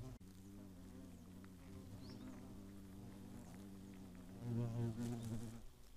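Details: Hornets at the nest, Eifel region near Greimersburg, Germany, 15 August 2017. A continuous deep hum of wings turns into a louder, rougher buzz after four and a half seconds as one flies near. A short click is heard early on.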